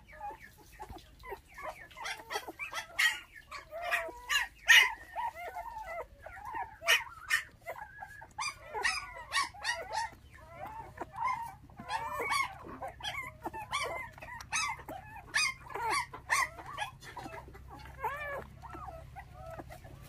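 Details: Litter of five puppies that lost their mother at six days old when dog thieves took her, now bottle-fed with milk; overlapping high, wavering whimpers and squeaky yelps rise and fall continuously through the recording, several pups crying at once.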